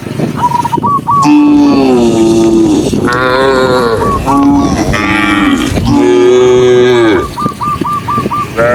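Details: Herded tame cows running down a lush green hillside, a near-continuous series of overlapping, strong, harmonic moos, some rising then falling, with short repeated higher-pitched notes at the start and end.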